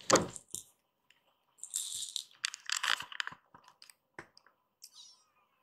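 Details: Young rescued kittens crowding onto a lap at home give bright, high mews in the middle. A brief thin mew comes near the end, amid knocks, taps and rustling.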